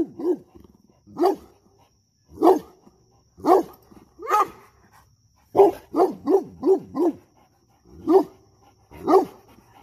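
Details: Barks from a dog on guard, with a pup wanting to make friends: single loud barks about a second apart, then a rapid cluster of four, then two more spaced barks.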